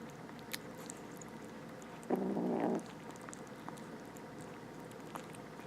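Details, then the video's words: Rescued stray kitten, one of two with infected eyes, eating indoors; a single drawn-out low mew lasting well over half a second stands out mid-clip amid soft chewing and clicking. "Rescued some stray kittens from outside, they make the cutest little noises while eating!"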